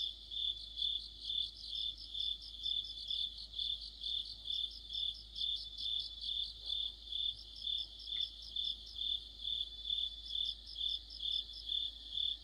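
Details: Crickets and other insects singing together in deep autumn by a streetlight, a dense high-pitched trill rising and falling in regular bursts about twice a second, with a brief faint click partway through.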